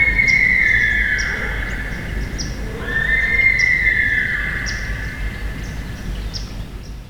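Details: A sika deer stag on Maryland's Eastern Shore marsh gives two long, shrill, sustained whistles, each held over two seconds; vocalizations recorded during a hunting camp.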